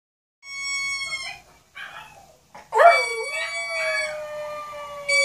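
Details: A Maltese dog howls along to a YouTube video, long wavering howls that slide then settle into a steady drawn-out tone.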